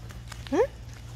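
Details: A pet dog waiting for a treat that was not brought, giving one short rising whine at mid pitch, with a steady low hum in the room behind it.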